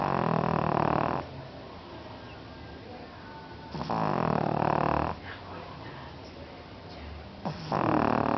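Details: Sleeping pug snoring: long harsh rasping snores of over a second, spaced about three seconds apart, separated by softer snuffling breaths.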